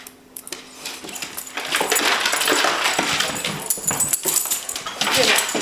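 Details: An excited dog, shaking after being told he is going to the park, gives rapid, high, squeaky whines and yelps in a chattering, monkey-like run.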